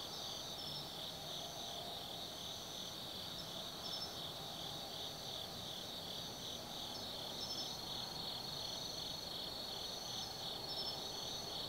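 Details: Autumn insects singing at night in the forest of Tsukimi no Mori, Kaizu, Gifu, Japan, 180 m above the Nobi Plain: a dense high chorus with steady trilling bands and repeated pulsed chirps layered above, a faint low hum beneath.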